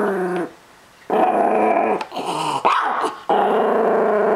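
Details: Possessive growling from a Chihuahua-Miniature Pinscher cross guarding his treats: sustained harmonic snarls broken by short gaps, one rising whiny edge near the middle.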